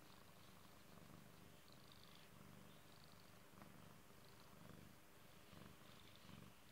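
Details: Domestic cat gives a continuous low purr, its rumbling pulses growing louder then easing in regular breath cycles a little over a second apart in a quiet room.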